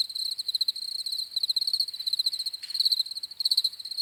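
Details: Crickets trilling in bright, rapid pulses, short chirp bursts repeating roughly 90 per minute, overlapping insects, with a faint brief rustle near the middle.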